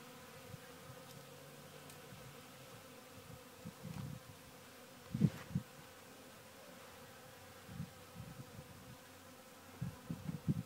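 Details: A faint, steady hum of honey bees working a sawdust pile, with occasional louder low rumbles and light knocks scattered through.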